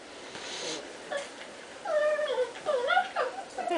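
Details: Cats play fighting indoors: after a quiet, faintly noisy start, a run of short, high, harmonic mews and squeaks with bending, swooping pitch comes several per second through the last two seconds, over low room hiss.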